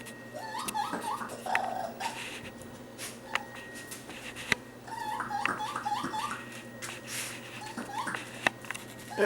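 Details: Lost young raccoon in a kitchen, early July 2013, making rapid runs of chirring, stepped whimpering squeals in bursts, with clicks and knocks around it; a man's soothing voice follows.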